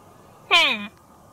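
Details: A single short, strained bleat from a deer calf calling its playmate, sliding steadily downward in pitch and rich in overtones, against quiet background hiss.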